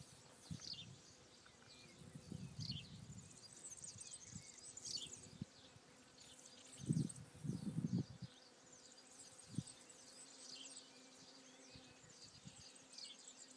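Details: Foraging bees among flowers on Alicudi, Sicily's Aeolian Islands: scattered low hums early on, then a strong close buzz swelling around seven to eight seconds, with soft, distant high bird twitters in a calm, still setting.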